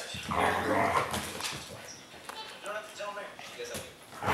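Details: Siberian Husky, described as a talking husky, vocalizing while biting a puppy; drawn-out, wavering howl-like moans with harmonic bands, broken into uneven phrases, mixed with a person's speech indoors.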